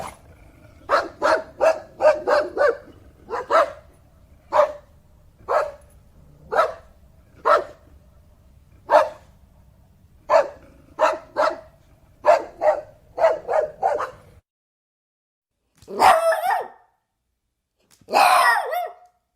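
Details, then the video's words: Repeated sharp dog barks, often paired or in fast runs, continue for about fourteen seconds over low hum, followed by two longer, harsher, noisier bark bursts after a silent break. "som de cachorro"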